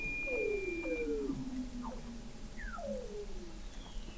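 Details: Weddell seals recorded in November 2017 by the McMurdo Oceanographic Observatory, 21 m below the sea ice in McMurdo Sound, Antarctica: overlapping descending whistled sweeps, a steady low hum and a faint high thin tone.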